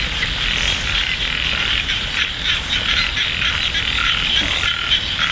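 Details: Frogs croaking during light rain at Ban Na Suang, Det Udom district, Ubon Ratchathani: a rapid pulsing chorus, roughly three to four pulses a second, with a faint high ticking line above and occasional clicks.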